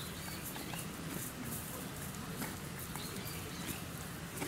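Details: Zoo donkey at Yuki Park Zoo, Kofu, Japan, chewing its food: rhythmic gritty crunches about every half second, with short bird twitters overhead and a constant low background drone.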